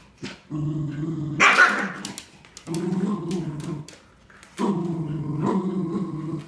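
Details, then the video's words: During tug-of-war over a new toy, two Cardigan Welsh Corgis, a three-and-a-quarter-year-old female and a bigger youngster nearly nine months old, let out long, steady, throaty growls. One loud harsh bark-like burst breaks in early, and the growling returns twice more. "Cardigan Welsh Corgi's playing Tug-of-War"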